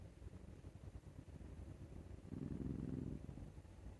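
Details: Male Scottish Fold named Maru, enjoying a neck scratch so much he snores like an old man. Soft low breathing rumble at first, then one louder, buzzy, low-pitched snore swelling late in the clip.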